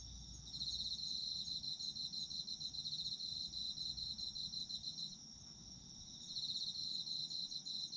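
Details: Autumn insect song for sleep, a fast high trilling that starts after a moment, runs about four seconds, pauses briefly and resumes, with a muted low background hum.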